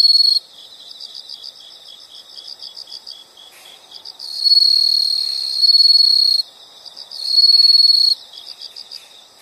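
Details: Insects chirping in a nature soundscape: steady high-pitched pulsed trilling with louder sustained buzzy bursts of a few seconds, softer rapid chirps between, no other sounds.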